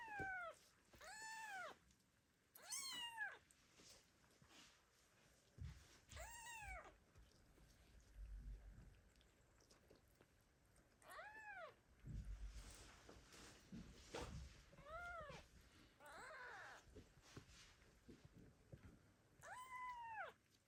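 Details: Kittens left by their mother cat meow loudly to call her; repeated arched, wavering meows every one to two seconds, some overlapping, with low rumbling handling noise in between.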